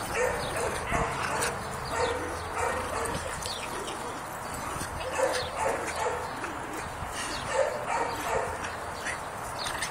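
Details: Scamp, a two-year-old neutered rough coat Jack Russell Terrier, plays tug. He gives short, rough, repeated barks and growly yaps in a steady stream, about two or three a second, with a person speaking now and then.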